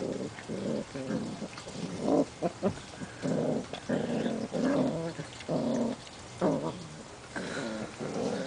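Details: Seven-week-old Portuguese Water Dog puppies playing outside, giving low rumbling growls in short bursts, separated by brief pauses, with a few sharper yips mixed in.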